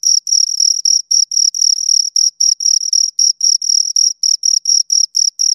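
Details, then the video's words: Two crickets chirping close up: high, shrill pulsed chirps repeated about four times a second in a slightly uneven rhythm, with the two callers occasionally running together. No other sounds. "Two Crickets Chirp Sounds for Two Hours Right on Your Ears"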